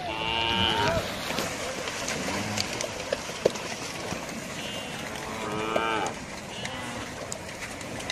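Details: Cattle crossing, lowing repeatedly: a strong harmonic moo at the start, another rising and falling call near six seconds, and fainter bellows between, with steady outdoor rumble and occasional clicks behind.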